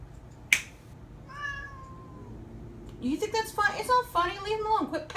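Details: Domestic cats fighting indoors: after a sharp snap, drawn-out wavering yowls and rising, strained cries build in overlapping bursts over the last two seconds, while a person scolds the cat.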